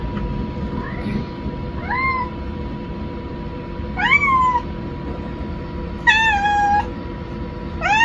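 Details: Maple, a pet cat, meows indoors after being left alone while someone goes to the rest room: five rising-then-falling, strongly harmonic meows, some short and one long drawn-out cry, spaced about two seconds apart over a steady low hum.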